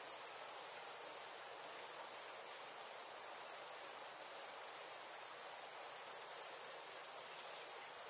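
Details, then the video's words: A warm summer night's cricket chorus: a single piercing, unbroken high-pitched drone that stays level and steady throughout. "Fireflies and Crickets - Calming sounds of the night"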